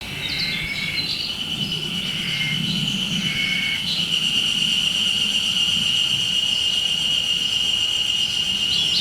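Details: Haruzemi cicada calling at a time of year described as unusual for cicadas: a steady, high, ringing whine holding one pitch throughout, with shorter, lower tonal bursts coming and going over it during the first four seconds.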